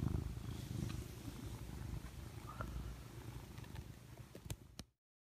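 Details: House cat curled up in its owner's arm, giving a soft, low, continuous purr that fades slightly, with a few small clicks near the end before it cuts off.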